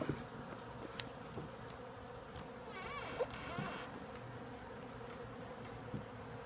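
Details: Huge swarm of bees nesting inside the woodwork of a house wall, giving a continuous low drone, with a few clicks and a brief rustling disturbance midway.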